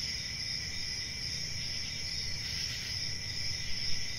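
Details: Continuous shrill cricket trill held at an even level throughout, with a fainter lower band and a noticeable low background rumble.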